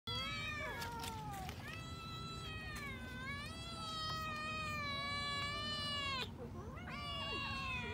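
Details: Several kittens eating raw fish give long, drawn-out, overlapping meows that run almost continuously. The cries are high and rich, some rising and others sliding down, with a brief break near six seconds before the meowing resumes.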